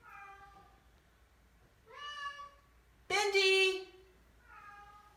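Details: Very vocal Oriental Shorthair cats on moving day into a new house; a soft falling cry, a louder bent wail, then a harsh loud blaring honk and a final softer cry, indoors.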